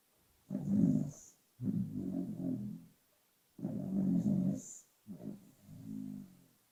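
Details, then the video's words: Pet dog snoring while asleep, sound boosted but not overdubbed: low, rough, rattling breaths in bursts of about a second, separated by short silent pauses. "Arlo Snoring"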